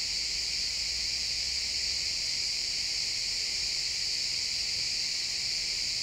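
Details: Crickets chirping in a pine forest at sunset, recorded in real time in XY stereo: a steady, dense high-pitched trilling chorus with no breaks, bright and unbroken throughout, with faint low woodland ambience beneath.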